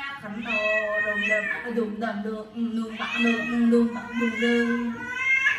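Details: An angry odd-eyed pet cat named Owie gives a steady, low, wavering moan. It is broken by higher rising wails that slide up and down. Human voices can be heard faintly underneath.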